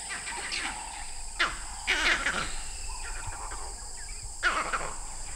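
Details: In the Okavango Delta in early morning light, vervet monkeys high in trees give harsh, scattered alarm barks, heard from a distance, at a well-hidden young male leopard below, over a steady insect drone.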